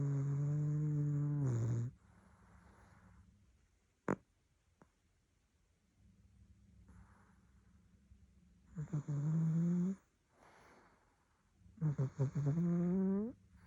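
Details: Sleeping domestic cat snoring like a little pig: low, rasping inhaled snores that rise slightly in pitch at their ends, with quieter breathy exhales and a sharp click in a pause between snores.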